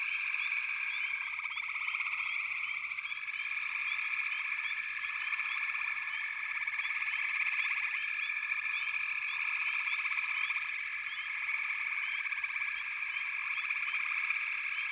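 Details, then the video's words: Backwater frog chorus, thick and continuous: layered pulsed trilling holds steady throughout while brief upslurred chirps pop out repeatedly above the drone. "FROGS - Pig Frogs, Water Frogs, Backwater Chorus, & Frog Chorus"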